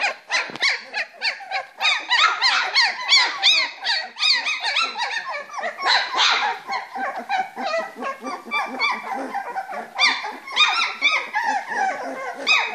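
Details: Springer Spaniel litter aged three weeks, playing in a box: a busy chorus of short, high squeaks and whimpers from many pups, packed closely with little pause.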